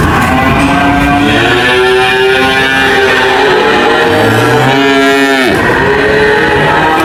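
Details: Cattle give a long, sustained moo followed near the end by a sharply falling, groaning low, over a dense, constant background drone.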